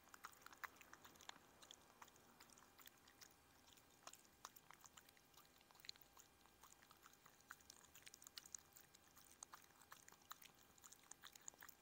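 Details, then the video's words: Odie, a Chihuahua, chews through a menu of shredded chicken, vegetables, blueberries and raw lamb; a steady run of sharp, crackly bites and soft mouth clicks, close and quiet, with no other sounds. "ASMR: The BEST Chihuahua ASMR"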